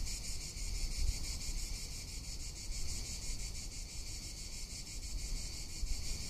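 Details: Cicadas calling in summer in Tuscany: a continuous, dense, high-pitched buzzing drone with a steady pulsing texture, over low rumbling wind noise.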